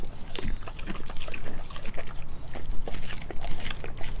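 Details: Crunching and sticky smacking as Nala, a Kelpie German Shepherd mix dog, works through raw meats such as chicken feet and beef heart. The bites come in a dense, rapid, uneven patter.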